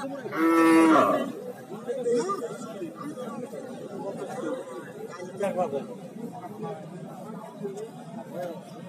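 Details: Native cattle at a cow market in Bangladesh. One loud, drawn-out moo comes near the start, followed by steady crowd chatter and murmuring voices.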